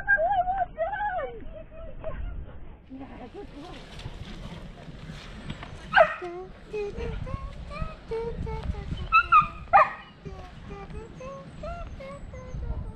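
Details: Poodle mantrailing at Penshurst gives a run of short, high whines and sharp yips, several bursts close together, with people talking nearby and outdoor background noise.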